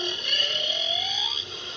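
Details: A male humpback whale sings off Rurutu, French Polynesia, during the whale migration: a song unit of a smooth, slowly rising moan over a steady high hiss; such songs carry tens of kilometres.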